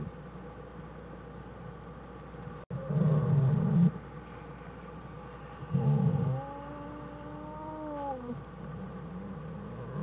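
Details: American black bear mother Jewel and cubs Fern and Herbie in their winter den, January 1, 2013, Wildlife Research Institute; two bursts of low rumbling rustle, then a steady, slightly falling drawn-out tonal whine lasting about two seconds.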